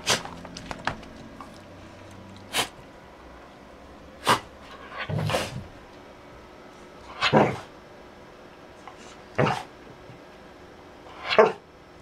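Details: A dancing dog lets out a string of brief, abrupt yaps and huffs, roughly one every two seconds, with small clicks and shuffling noises between them.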